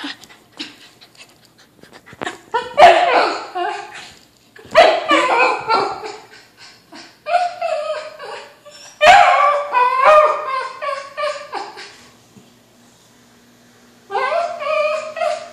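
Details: Kimchee, a Whippet mix indoors, desperate to play with a balloon, letting out long bursts of high, wavering whines and yips, four excited outbursts separated by short quiet gaps.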